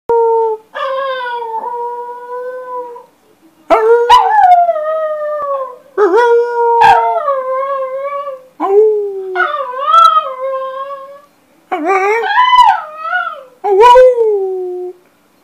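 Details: Female Chinese Crested dog singing and chatting from her bed: a series of drawn-out, wavering howls, each lasting one to two seconds with short pauses between, some sliding down in pitch, loud and clear.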